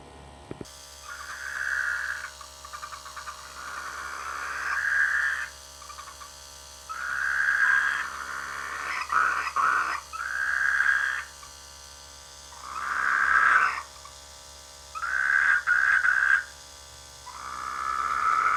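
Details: Rainy-season frogs calling from rice fields near a village, giving bursts of harsh, throaty croaks about a second long, roughly every two to three seconds, some broken into quick stuttering pulses, with faint steady hiss between bursts.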